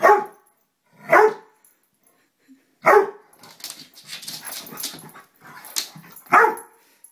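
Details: Pet dog Lollie barking at a moth indoors: four sharp, loud barks spread over seven seconds, with soft rustling and scuffling sounds filling the gaps between the later barks.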